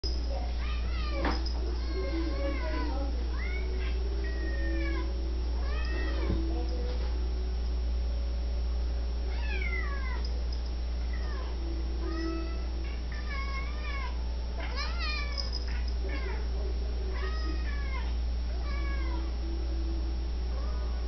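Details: Young female black Siamese cat, seven months old, meowing over and over at dinner time while being teased with a food bowl held in the air, other female cats present; rising and falling meows, closely spaced, over a steady low hum.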